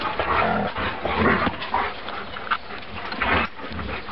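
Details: Three-week-old wolfdog pups from Pagan's litter give short, high whimpering squeaks over a rough, noisy background of rustling and handling sounds.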